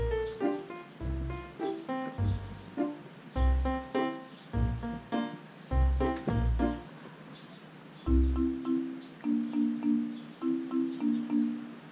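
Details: Bright mallet-percussion music, marimba-like notes struck in quick rhythmic phrases over a deep pulsing bass, with no animal voice heard.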